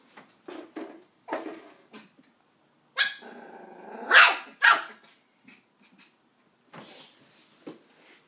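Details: Nine-week-old Westie puppy confronting an empty coke bottle: clicks and scuffling, then a growly whine and two loud high-pitched yaps in the middle, followed by softer scrapes and one more bark.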